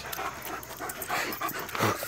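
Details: Greyhound lunging at a screen showing Rottweilers and a German Shepherd; a string of short, rough dog barks and huffs, with panting between them and the loudest burst at the end, over steady background music.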